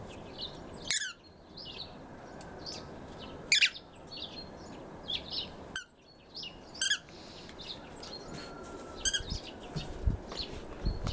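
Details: Red fox Alfie, a male pet rescued from a fur farm, guards a stuffed squirrel as prey before dragging and burying it. Several short, rasping screams come at irregular intervals over a background of faint high chirps.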